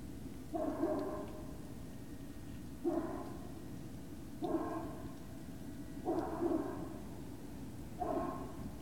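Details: Short whining yelps from Great Dane puppies at Puppy Hill, evening of 19 February 2019, come five times at uneven gaps of roughly one and a half to two seconds over a constant low background hum.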